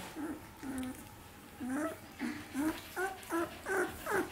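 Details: Seventeen-day-old Samoyed puppies of the C litter, indoors, whimpering in a string of short, tonal whines that bend up and down, coming about every half second and growing louder and more insistent toward the end, with faint room noise behind.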